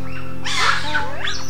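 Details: Assamese macaque troop that had split and slept in different sleeping trees about 200 metres apart, with stragglers rejoining the leader at dawn; harsh squealing calls rise and fall in quick bursts over steady background music.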